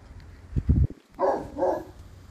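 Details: Mo Bounce, a black and tan Cane Corso, lets out two deep, resonant barks just after a few low knocking thuds.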